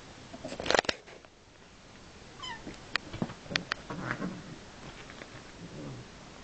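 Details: Mother cat and kitten son in a play fight; a loud scuffling burst, then a short descending squeak-like meow, followed by repeated thumps, rustles and faint low growly vocal sounds of tussling.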